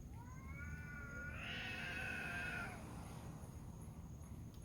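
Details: Cats fighting on a dark night: one gives a long, wavering, nasal yowl that rises and strains before breaking off, likened to a baby crying.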